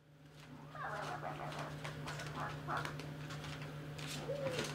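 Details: Baby Basset Hound puppies at play: short high whines and a brief sliding whimper near the end over a steady low electrical hum and scattered rustling thumps.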